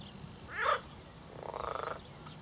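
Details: Hungarian marsh frogs calling from a pond on the left beside a walk from Higham to Gravesend in Kent, near Cliffe marshes: two short croaking bursts, the second a rapid rattling series.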